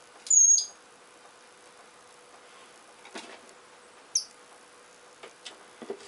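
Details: Richardson's ground squirrel fighting while digging: a thin, high whistled squeal near the start, drawn out and slightly falling, then a brief sharp chirp about four seconds later, with faint scratchy digging clicks between.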